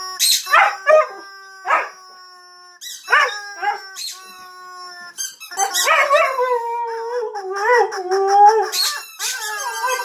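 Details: Pet Husky howling in response to a squeaky toy: sharp, high squeaks come in short bursts at first, then the dog breaks into a long wavering howl that slides down and wobbles, with more squeaks over it.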